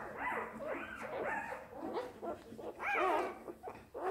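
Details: Newborn Border Collie puppy at its birth, giving high arched squealing whimpers in short bursts, several close together then a louder rising-falling cry near the end, with faint rustling underneath.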